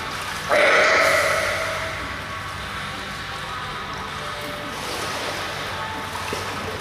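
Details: A California sea lion reacting to a mirror gives one loud, bleating, harmonic call that fades over about a second.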